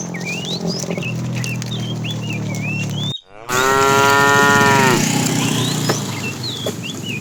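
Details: Afternoon herd of tame cows being herded, a fat cow calling the female. After a brief cut, a single strong drawn-out moo lasts about a second and a half, with birds twittering steadily before and after.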